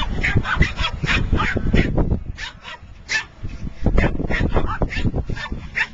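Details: A dog barks inside a car in quick, repeated bursts, some sharp and some deeper, with human voices now and then.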